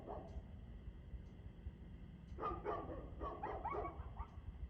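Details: Dog barking, recorded 2/6/2024 at 6:02 pm: quiet at first, then a cluster of five or six hoarse barks in the second half, partly masked by a constant low-pitched background rumble.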